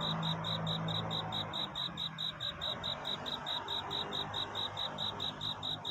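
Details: Courting cricket at night: crisp high chirps repeated quickly and evenly, about three to four each second, while a low steady tone fades out in the first two seconds beneath a soft hiss.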